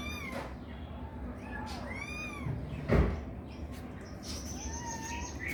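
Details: Kittens playing with each other, giving high, thin meows that arch up and fall, several in a row near the start and more around two and five seconds, over a steady background hiss with a knock midway.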